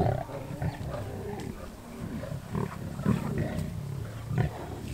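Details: Wild lions at a wildebeest kill near Kruger National Park, South Africa: a low, throaty rumble of growls with short grunting surges spaced about a second apart, the loudest near the middle and end.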